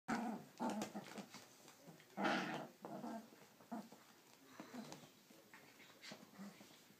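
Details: Three-week-old Siberian husky puppies playing together indoors, giving short squeaky yips and growly squeals in scattered bursts, one louder cry near the middle, with soft scuffling between calls.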